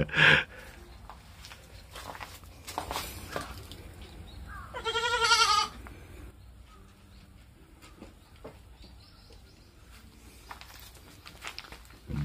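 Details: A young baby goat, a lonely crybaby when its owner leaves, gives a single high, quavering bleat, rising slightly then wavering for about a second.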